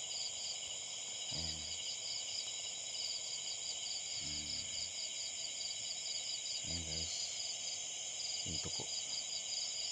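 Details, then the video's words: Tokay gecko calling from a roof, October 27, 2021: four low, croaking pulsed notes spaced roughly two to three seconds apart, set against a steady high-pitched insect chorus. "Ang tuko sa bubongan"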